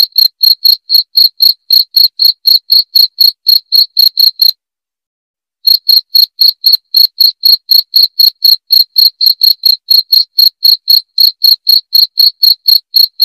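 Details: Cricket sound meant to chase rats away: bright, high chirps about four per second, broken by a one-second pause, then continuing just as regularly.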